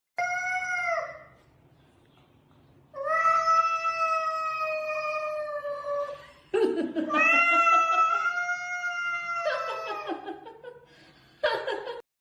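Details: Domestic cat yowling in long, drawn-out, wavering meows rich in harmonics, three sustained calls of one to three seconds each with quiet gaps, ending in a short sharp meow.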